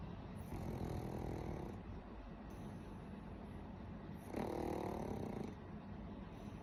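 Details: Pug named Warabi snoring loudly in sleep, a harsh rasping snore in two long drawn-out breaths, each lasting about a second or more, with low rumbling throughout and a quieter gap between them.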